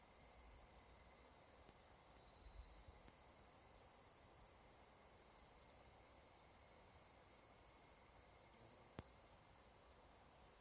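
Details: Higurashi, the evening cicada Tanna japonensis, singing at dusk in summer mountain forest in Japan: a rapid beaded trill of repeated pulses rising for about three seconds over a steady high hissing insect chorus.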